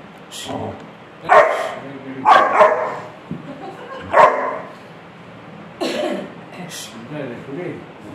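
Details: A Rottweiler puppy gives short, sharp, yappy barks in irregular bursts on seeing a bark roll on a chair, with a person's voice nearby.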